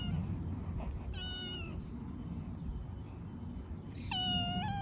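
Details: Young homeless street cats being fed on the street; two clear meows, one short and falling, then a louder, longer one with a slight rise, against constant low outdoor rumble.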